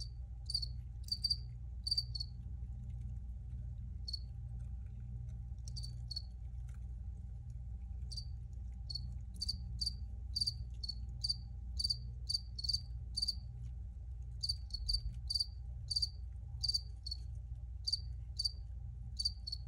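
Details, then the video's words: Short high-pitched cricket chirps in a cluster at first, a quieter stretch, then a long run of rapid regular chirps, all over a low continuous rumble. "Free Cricket Sounds"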